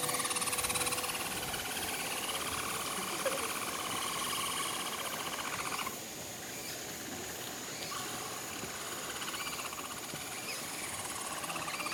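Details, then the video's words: Herd of capybaras at Nagasaki Bio Park singing in unison as they go to visit the breeding male Toku, who sings too; layered buzzy, pulsed tones held steady at several pitches, with a high constant hum above them. "Glorious Sound of Capybaras Singing As They Visit Handsome Toku"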